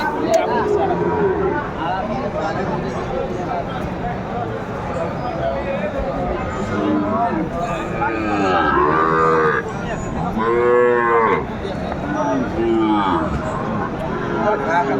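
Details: Sahiwal bull calves at a cattle market in Chattogram, Bangladesh, on 14 January 2025, giving long, arched, harmonic moos, loudest near ten and thirteen seconds, over a steady dense background of market noise.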